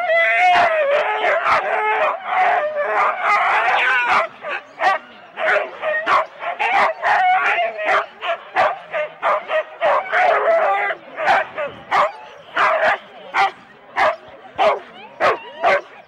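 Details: Husky sled teams of four dogs each at the complete race start, Rendlesham, January 2016, analogue cassette recording: several dogs howl and yelp together, then the chorus breaks into rapid repeated barks, roughly one to two per second, continuing steadily.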